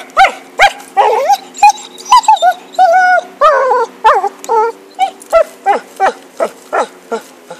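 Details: Happy, a dog playing with a stick, gives a rapid run of high, tonal yelping whines, some rising and falling, roughly one and a half per second, with little else audible.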